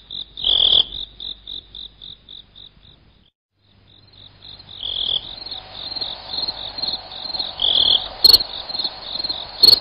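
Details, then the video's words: Cricket sound meant to drive away rats: a run of short, even, high chirps about four per second, a brief silence, then a dense, continuous high trill with louder swelling bursts and two sharp clicks near the end. "Suara Jangkrik bos"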